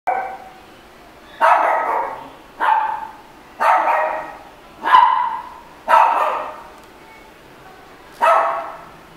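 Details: Red Shiba Inu barking: six loud, harsh single barks spaced roughly one to two seconds apart, each with a brief fading tail, over a quiet background.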